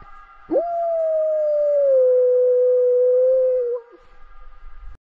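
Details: Caucasian Shepherd Dog. A Caucasian Shepherd Dog lets out a single drawn-out howl lasting about three seconds, starting with a quick rise and then sinking slowly in pitch. It ends abruptly into quiet background noise.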